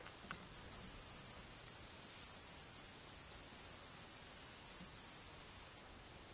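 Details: Pycnogaster jugicola male, the Fat-bellied Saddle Bush-cricket, calling in the Sierra de Guadarrama on 12 July 2019. A shrill, very high buzzing trill starts abruptly after a brief quiet moment, holds steady for about five seconds, then cuts off sharply.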